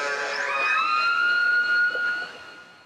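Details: In Canadian waters, an orca in a group of four circling with a male gives a pulsed call that slides upward and then holds a long, steady, siren-like tone.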